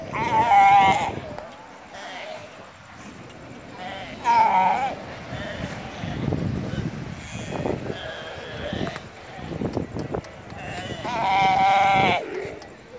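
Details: Galapagos sea lion in the Galapagos Islands, Ecuador, calling with loud, drawn-out, sheep-like bleats. Three main calls, near the start, in the middle and near the end, are separated by quieter rustling and faint voices.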